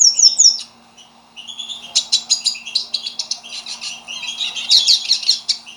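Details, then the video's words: Pet pintassilgo (hooded siskin), described as fiery, opens with a high twittering phrase, pauses about a second, then launches into a rapid, rambling song of buzzy trills, chattering notes and thin whistles; a low steady hum is heard throughout. "pintassilgo fogoso"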